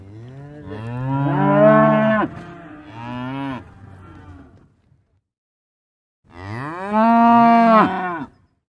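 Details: Cow lowing: two drawn-out moos with wavering pitch, a quieter trailing moan, a pause, then a final loud bellow.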